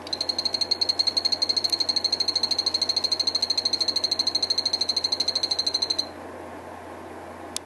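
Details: Phantasmal poison frogs of the Santa Isabela form, a breeding captive trio of one male and two females kept in a vertical tank, calling while feeding: a rapid run of high, evenly spaced buzzy pulses for six seconds, then stopping abruptly.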